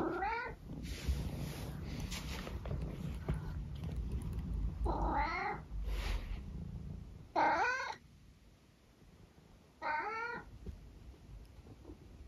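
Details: Senior tabby cat from England meowing at home in a series of short rising-falling meows spaced a few seconds apart, with a woman's voice talking to the cat between calls and low background hum.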